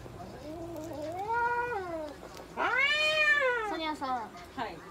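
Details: Minuet cat at a veterinary clinic in Nagoya, Japan, during blood pressure measurement; drawn-out, wavering meows, the first rising then falling over about two seconds, a second louder and higher, followed by short broken cries, with a person speaking.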